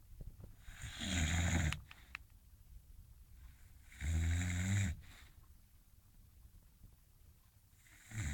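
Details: Sleeping, dreaming English Bulldog snoring indoors: two deep, rumbling snores about three seconds apart, each under a second long, with quiet breathing in between and a third snore starting at the end.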